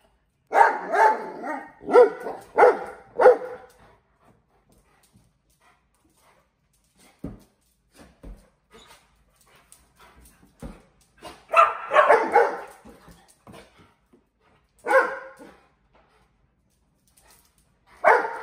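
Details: Mastiffs at play with balloons, bursts of quick excited barks at the start, then near silence with faint knocks and thumps, followed by more scattered barks.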